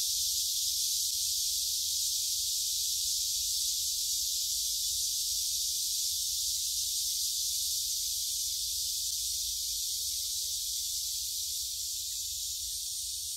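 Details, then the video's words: Summer cicada chorus at Gyerim woods in Gyeongju, recorded on a phone while strolling, 16 July 2022; an unbroken, hissing wall of high buzzing sound stays level throughout, over a faint low background rumble. "매미들이 노래하는 '경주 계림'"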